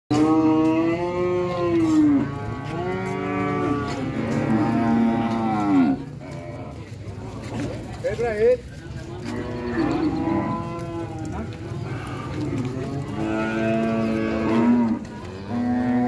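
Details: Cattle lowing in long harmonic moos, several overlapping calls with a gap near the middle, a short higher bleat around eight seconds, then more drawn-out moos; a steady low rumble underneath.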